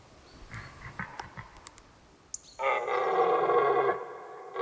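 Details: Red deer in the rutting season, recorded with a Røde VideoMic NTG microphone, a clean recording without a sense of space: after faint clicks and rustles, one deep, loud, rough roar holds for over a second, then fades.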